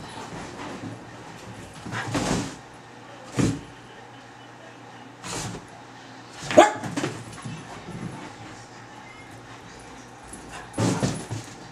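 A Basenji gives short, scattered yips and whimpering vocal bursts during play.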